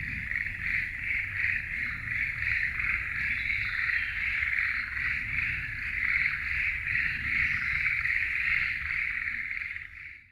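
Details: Forest frogs in a dense, continuous trilling chorus with quick, irregular pulses, fading out at the very end over a soft low-frequency hum.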